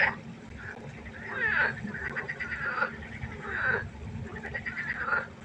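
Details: Night pond chorus of frogs, with drawn-out, grating croaks swelling roughly every second or two and overlapping one another, while a low constant hum runs underneath.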